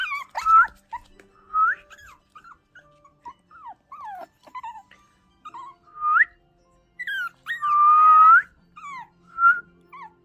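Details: Two-month-old Shih Tzu puppy, startled and scared as it reacts to whistling, gives short, high, curving whimpers and yips in quick scattered bursts. Someone whistles longer, smooth rising tones between them.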